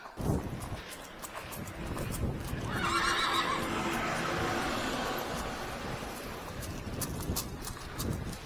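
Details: An 11-year-old pure-bred Friesian horse being readied for a ride, giving a drawn-out whinny in the middle, harmonic and wavering, amid shuffling hoof clops and a person's soft praise.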